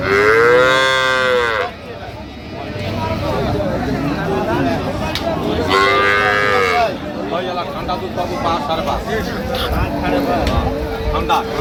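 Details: Improved-breed dairy cows and calves at Ambari cattle market, Dinajpur, Bangladesh, on 15 September 2025: two loud, drawn-out harmonic moos about five seconds apart, each under two seconds, amid men bargaining over prices and market chatter.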